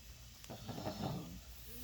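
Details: Oinky, a pet male French Bulldog enjoying scratches and belly rubs inside, gives a breathy, hissing snort-grunt that swells in the middle and fades out, with no voices over it.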